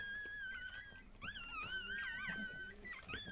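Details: A Chihuahua, one and a half years old, whelping her first litter indoors: a steady high whine breaks into wobbling, rising and falling squeals, then short sharp squeaks follow.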